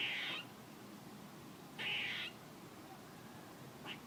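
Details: Squirrel giving two rasping, noisy bursts spaced about a second and a half apart, followed by a brief faint chirp near the end, against low steady background hiss.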